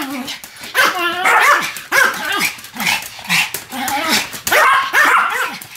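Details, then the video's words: Duet of two Pomeranians named Sam and Marine, with shrill bursts of barks and curved, wavering yelps in quick clusters separated by brief gaps. "犬の鳴き声 ポメラニアン サム マリン デュエット吠え"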